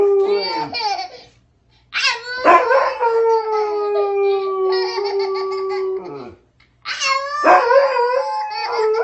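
A dog gives long, wavering howls that slide slowly downward, answering a child's howl.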